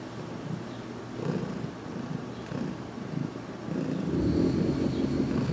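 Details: Heidi, a cat getting her first massages in June 2019, purrs in a closet while her head is worked on; low pulsing purr that grows louder and thicker toward the end, alongside rustling.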